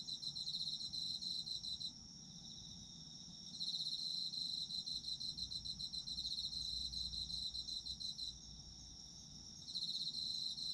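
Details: Night-like chorus of autumn insects for sleep: high steady trilling underneath, with loud rapid pulsed chirp bouts that switch on and off, running about two to five seconds each with short quieter gaps.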